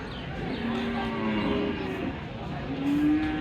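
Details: Water buffalo at a village cattle market in Hazratpur, Bangladesh, in 2025, giving a low, steady moaning call held over a second, followed by a shorter rising tone, amid market murmur and distant traffic.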